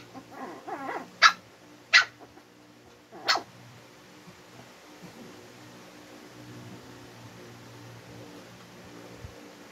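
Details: Twin Shih Tzus trade a few sharp, high barks in a brief squabble while teasing and getting annoyed with each other, then fall quiet.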